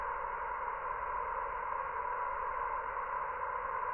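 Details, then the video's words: Dense steady drone of countless cicadas filling a villa garden on Gozo, an even unbroken buzz at a constant loud level throughout. "Gozo's noisy Cicadas"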